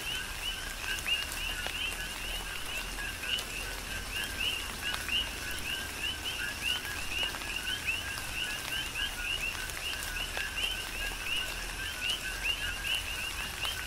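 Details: Coqui frogs calling in a chorus during tropical rain on the Big Island, Hawaii: rapid repeated two-part chirps, a low note then a rising higher one, overlapping continuously, with steady rain and scattered raindrop ticks.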